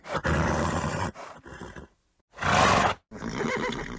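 A horse gives loud, breathy snorts and rough blowing bursts through its nostrils, separated by brief pauses.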